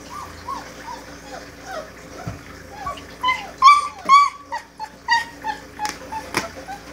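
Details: Great Dane puppies at four weeks old, giving a series of thin whines and yips that grow louder midway, each a brief wavering cry, with a few sharp clicks or knocks in the background.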